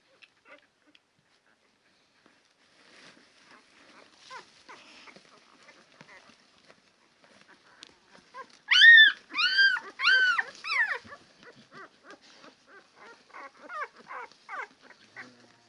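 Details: Ten-day-old Labrador Retriever puppies: after quiet scattered squeaks, a burst of loud arched yelping whimpers mid-clip, then softer repeated squeals tapering off.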